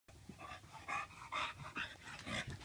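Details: Tank the bulldog, freshly bathed, pants in quick breathy bursts about twice a second, each a soft hissing puff, with nothing else clearly heard.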